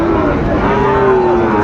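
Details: Sahiwal breed bull calf lowing at Raniganj cattle market in Dinajpur on 22 January, early in the trading: a steady, drawn-out moo holding one pitch for over a second, set against a dense hum of crowd chatter and market noise.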